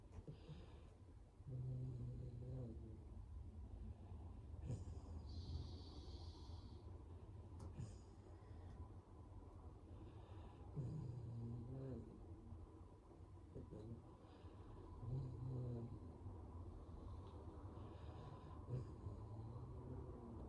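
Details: Snoring dog gives deep, throaty rumbles at uneven intervals of a few seconds, each a short rough snort, set against constant low-pitched background noise.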